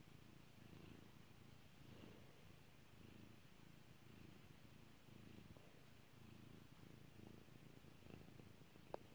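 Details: Pet cat Kairi purring under petting, a continuous low throaty vibration swelling and easing in even breaths, one click near the end.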